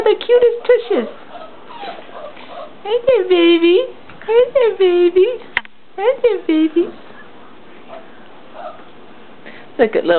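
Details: A litter of English Mastiff puppies, four weeks old, gives repeated drawn-out whines that rise and then fall, each lasting under a second, in clusters over ten seconds, mixed with a person's nearby chatter.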